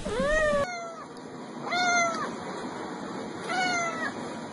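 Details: Repeated meows of a domestic cat, part of a set meant to attract cats: three distinct arched calls about a second and a half apart over a steady faint background hum.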